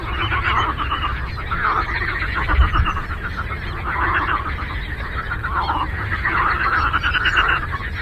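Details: Frogs in a chorus on a lake: dense, overlapping rattling croaks swell and fade in waves of a second or two, over a steady low rumble.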